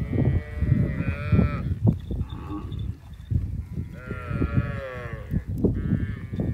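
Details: Cattle, cows with their calves, grazing and eating together in a field: several drawn-out harmonic moos, each one to two seconds long, overlapping and repeated, over heavy low-pitched rumbling and thumping chewing or handling noise.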